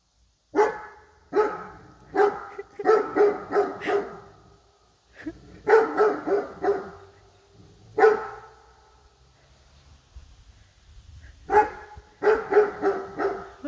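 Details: A Great Dane barking while scared of a bear statue; loud deep barks in quick bursts of two to five, with pauses between groups and a person speaking faintly.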